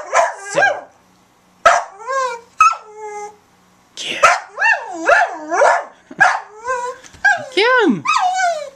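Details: Barking on cue in the Bahamas, eight-year-old Sadie, a brown Border Collie mix, gives a string of odd, warbling bark-yowls that swoop up and down in pitch, with a person speaking in between.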